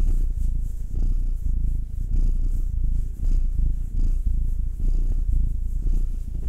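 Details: While being massaged, one of two household cats, Will (nine-year-old male, black) or Anzu (two-year-old female tortoiseshell Munchkin), purrs contentedly. A rich, deep, pulsing drone, swelling and easing in regular breathing cycles.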